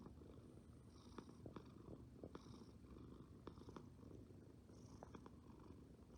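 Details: Cat at rest, purring close by, a dense low vibrating hum that swells gently with each breath, with occasional small ticks and airy higher breath noise on top, no other sounds.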